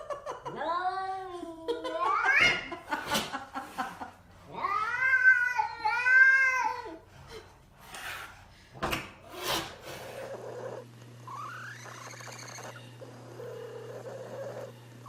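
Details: Domestic cat giving weird, drawn-out wavering yowls in a small room, several long howls with bending pitch separated by sharp knocks and clatter, a steady low hum underneath, and a faint laugh-like sound near the end.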